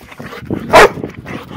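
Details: A single sharp, loud bark from Teddy, a nine-month-old Old English Sheepdog with a fresh summer shave, excited as his owners come home from work; quieter voices and household sounds sit underneath.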